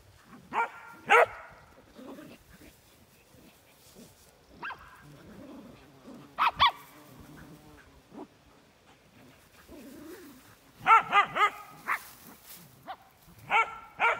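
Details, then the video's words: Young farm dogs barking while playing outdoors in August on a regenerative farm in County Kilkenny, Ireland: scattered sharp barks in pairs and quick clusters, with soft rustling and quieter movement noise between them. "[Music] hmm um what are you barking at you noisy pups you all"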